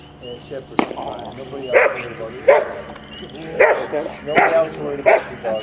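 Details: Max, a 10.5-month-old Rottweiler puppy, barks during a bitework training session on 15 April 2009; five deep, harsh barks spaced unevenly about a second apart, with human voices mixed in.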